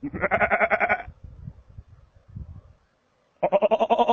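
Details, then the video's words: Markhor calling in Chitral Gol National Park, Pakistan: two loud, harsh, rapidly pulsed bleats about a second long, separated by a quieter stretch of low rumbling and rustling. "Calling Markhor"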